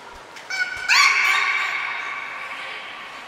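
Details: Nico, a beluga at Port of Nagoya Public Aquarium, recorded in training on 25 February 2024, gives a long steady harmonic whistle after a short rising onset, holding level and slowly fading.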